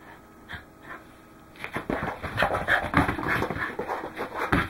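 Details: Goro, a Welsh Corgi, out running on 12 December 2010: quiet at first, then quick, heavy, noisy breaths start after a second and a half, about three per second.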